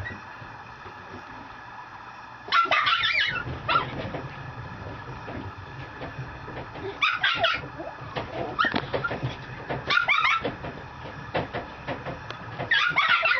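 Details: Mame Shiba puppy, a young female mini Shiba Inu from a breeder in Japan, letting out clustered high whines and yelps in irregular bursts at about 2.5, 7, 10 and 13 seconds over a steady low hum.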